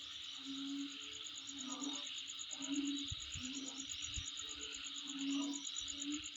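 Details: Rapid, high, evenly pulsed insect chirring continues without pause, with a hissing background, a few low thumps and a low hooting note repeating every second or so.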